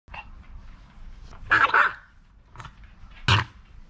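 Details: Jamong, a male Maltese born December 2015 in Gwangju, eating a snack and not to be touched. Two short, harsh barks a couple of seconds apart rise over a quiet indoor room.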